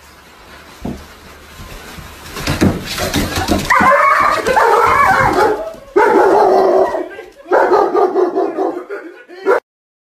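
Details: German Shepherd dog giving loud, rough, drawn-out vocal bursts from about four seconds onward, broken by short gaps and ending abruptly, after a quieter start with faint background noise.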